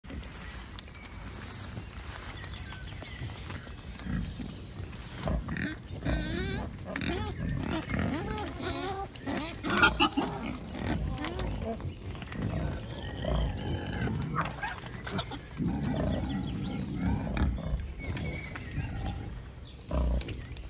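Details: Wild boars in a beech forest, including a large boar with sharp tusks; low, rough grunts and snuffling squeals come repeatedly throughout, with rustling of movement in the forest.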